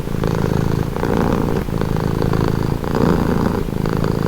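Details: Close, loud purr from a calm house cat, low throbbing hum rising and easing in regular breath cycles about every second, steady and uninterrupted.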